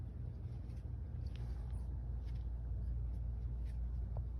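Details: Garfy, a sleepy female cat, yawns and purrs; a steady low rumbling purr runs through the whole stretch, even and continuous, with a few faint soft clicks above it.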